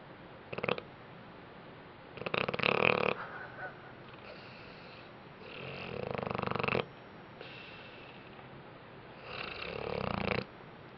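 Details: Dog Bentley sleeps off a rough day with a series of loud, wheezy, rattling snores, four rough breaths spaced two to four seconds apart, the strongest near the start.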